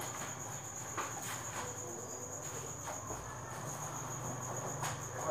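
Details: Evening chorus of many crickets at the Thanh Bình cricket farm, 8 pm, while eggs are gathered: a constant piercing high tone ringing steadily through the whole stretch, with occasional soft knocks and distant voices.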